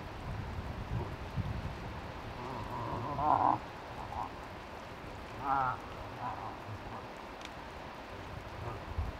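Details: A cow moose in Tokke, with a five-point bull nearby, gives two brief, strained bleating calls a couple of seconds apart, with faint softer grunts between them and a steady rushing background.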